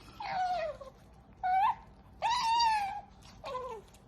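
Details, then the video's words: Pet female otter making noises while eating her favourite fish: four high, whining squeals, each sliding downward with rich harmonics, the longest lasting almost a second, separated by short quiet gaps. "Princess Otter Qoo Makes Hilarious Noise When She Eat her Favourite Fish"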